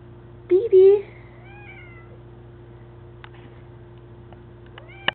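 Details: Indoor domestic cat during a playful fight, in which a mother cat shows her grown daughter she is still boss. A short, low, strained meow lasts about half a second, followed by faint wavering tones and scattered small clicks in a quiet room.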